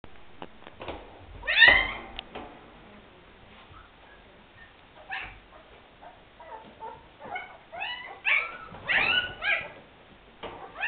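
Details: Afghan Hound puppies at the Szitár al Fidda kennel give scattered high whines and yelps, quiet gaps between bursts, with a louder cluster of squeaky cries near the end.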